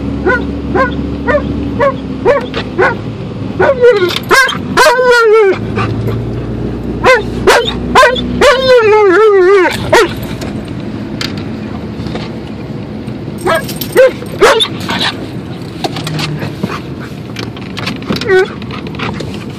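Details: An Alaskan Malamute riding in a car on a three-minute drive to the dog park gives wavering, yodel-like woos and short yips over a steady engine hum.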